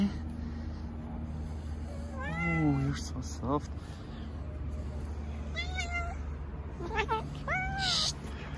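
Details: Several stray cats clustering in an Istanbul park while a tuxedo cat is stroked, giving a few short bending meows spaced apart, mixed with a woman's gentle talking and a constant low rumble of background noise.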